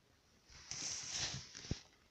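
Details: Kubuś, a pet hamster, walking in a silent ball-bearing wooden Trixie exercise wheel with a cork surface: soft, rapid paw taps on cork form a brief hissy patter for about a second, with one sharper knock near the end.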